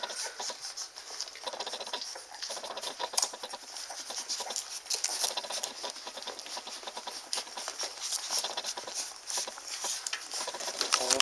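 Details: Eight fat, happy Standard Poodle puppies nursing on June 5th, 2014. A dense, continuous patter of wet suckling clicks and smacks runs throughout, with occasional faint squeaks rising above the steady feeding noise indoors.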